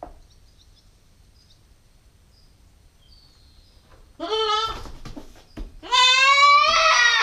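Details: Female Nubian goat kid aged nine weeks, recorded by a GoPro stakeout camera: after four quiet seconds with faint high chirps, two bleats come, the second long, steady and strongly harmonic.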